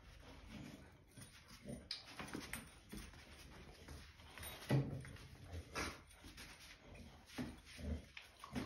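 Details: Indoors, a white male Boxer who dislikes his new bone-shaped ID tag makes low, grunting whimpers in short uneven bursts, with light rustling and an occasional faint clink in the small room.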